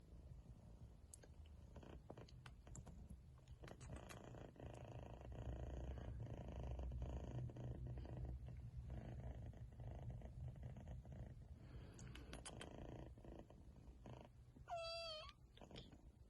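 A Persian kitten purrs in a low, steady rumble, with a brief high mew near the end.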